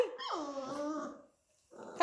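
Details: A Labrador Retriever puppy, reacting to its owner calling, lets out a high whine that slides steeply downward and holds a steady tone for about a second, then rustling and a sharp click after a brief silence.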